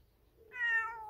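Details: Stray cat with an injured, bleeding leg crying outdoors as it heads up a mountain, as if asking its feeder to follow; one clear drawn-out meow that starts abruptly and slowly falls in pitch, in quiet surroundings.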